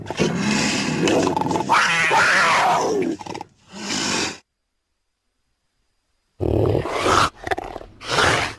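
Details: South American cougar (mountain lion, puma, panther) giving harsh, raspy, roaring growls in rough bursts, then about two seconds of silence, followed by more short snarling bursts.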